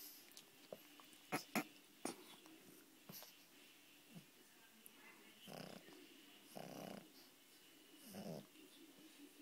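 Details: A pug asleep in bed snores: soft, breathy snorts about once every second or so in the second half, after a few sharp clicks and rustles at the start.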